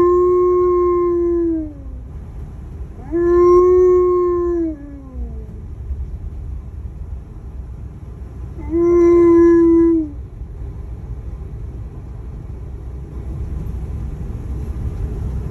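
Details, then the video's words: Sad howling by the Alaskan Malamute Tonka: three sustained tones, each falling away at the end, separated by quiet pauses, and followed by a quieter stretch at the close. "Proof Dogs Do Feel Sadness"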